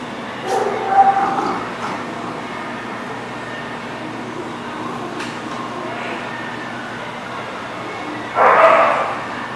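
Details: A dog recorded on 27 December 2019 lets out a short burst of barking near the start and another sharp bark near the end, separated by a long stretch of steady low background hum.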